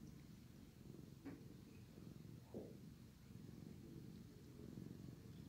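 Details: Sleepy male cat purring while being groomed by his brother; low steady rumble with soft breath-like swells, broken by a couple of brief clicks or licks.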